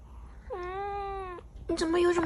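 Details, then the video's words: Angry pet cat meowing indoors: one drawn-out, steady, slightly nasal meow lasting about a second, followed by a woman speaking softly in Mandarin to the cat. "Angry 😠 Cat Meowing"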